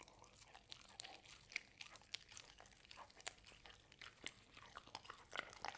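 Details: Hazel, a dog, bites into a home-made ube roll and Cookie Cat biscuit indoors, producing bright, loud crunches spaced every fraction of a second with small crinkling tearing noises between them.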